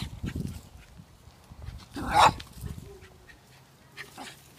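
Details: A dog barks once, sharp and loud, during fence-aggression training near two dogs behind a neighbour's fence; softer rustling and faint low sounds fill the rest.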